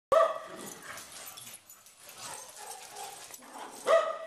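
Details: Dog barking while playing: one sharp, ringing bark at the start and another near the end, separated by rustling, scuffling play noise.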